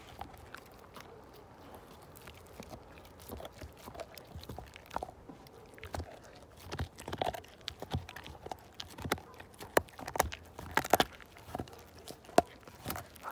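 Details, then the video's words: Slim the Siberian Husky working a bone from full to zero: soft, sparse clicks at first, building after the midpoint into frequent sharp crunches and cracks of teeth against bone. "My Husky Tear This Bone Down To Nothing!"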